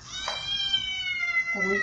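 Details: Domestic cat giving a long drawn-out meow with many harmonics, slowly falling in pitch, ending in a lower nasal tail; a brief soft sound near the start.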